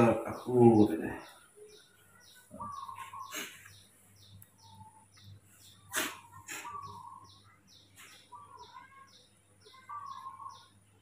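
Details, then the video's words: In the morning, hand-reared baby monkey Mobi wakes up spoiled, giving scattered plaintive whistled whimpers between a loud bump, a sharp click and human voices, while fast high chirps tick steadily in the background. "baby monkey Mobi is super spoiled when he wakes up in the morning"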